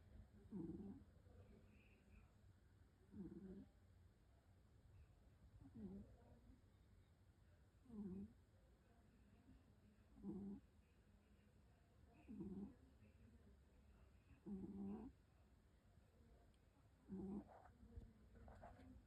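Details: Sleeping cat snoring softly, with short, low, humming breath sounds repeating roughly every two and a half seconds, about eight in a row, in a quiet room with faint background hiss.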